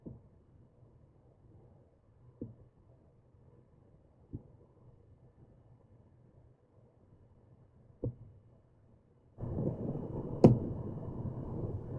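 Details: A quiet low hum with a few sharp clicks is followed by a loud burst of broadband rumbling noise in the last few seconds.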